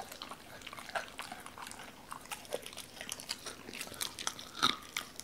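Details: Raw chicken chewed by a Doberman called Cola, who was cautious at first with the whole bird: a steady patter of small crunching and gnawing clicks over a hissy background, with one stronger bite late on.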